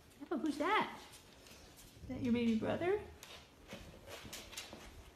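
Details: Golden Retriever in a room making two vocal bursts: a quick rising-and-falling yelp-like whine, then a longer, wavering, howl-like moan. Household murmur follows.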